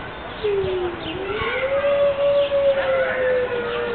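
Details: Captive Siberian wolf howling on a rainy morning at Berlin Zoo, one of five; a single long howl dips slightly, then rises and holds a sustained, even note for about three seconds, with faint bird chirps in the background.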